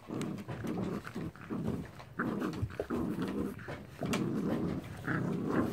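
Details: American Bully puppies rough playing with an Angry Bird toy, giving low rumbling growls in short bursts, about one a second, separated by brief quiet gaps.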